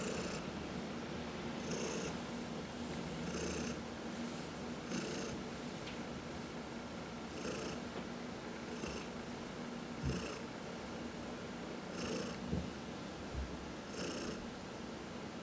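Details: One of four domestic cats purring while massaged indoors; a long, even low purr with regular hissy breath pulses every second or so and a few soft thumps.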